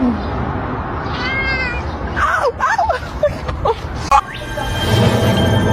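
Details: Domestic cat giving a run of short, bending meows and chirps in quick succession, pitch sliding up and down, over a steady background hiss with a little human speech.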